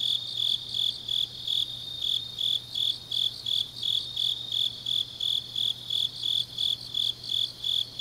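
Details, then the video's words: Night chorus of grass insects in deep autumn, Changnyeong, Gyeongnam: bright, high, ringing chirps repeated steadily about every third of a second, layered callers blending, a quiet low hum throughout. "깊은밤 가을 풀벌레 소리"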